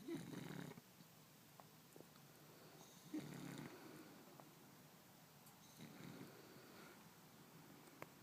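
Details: French Bulldog named Marcus snoring in bed beside a person: low rasping breaths about every three seconds, rough and rumbling, the loudest at the start and around three seconds, with soft rustling between.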